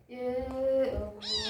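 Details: Kitten eating and very hungry, giving a sustained, steady-pitched meow that bends downward, followed by a brighter, higher cry.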